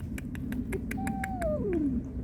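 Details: Domestic cats, a mother warning an intruder away from her kittens and kittens crying for their mother; a single drawn-out wail glides downward from a middle pitch to low, among sharp clicking knocks.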